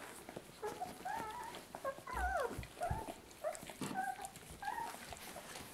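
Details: Two-week-old puppies of the dog Lucy whimper while nursing at her teats: thin, wavering high squeaks rising and falling in quick overlapping bursts, with soft shuffling and suckling noises in a small indoor room.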